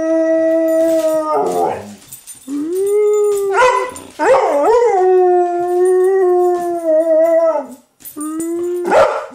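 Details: Dog howling, shown teaching another dog to communicate with people. Long, steady, tonal howls are held for several seconds. Some bend and waver upward mid-call, with short gaps between breaths and a rough, noisy burst before the final howl.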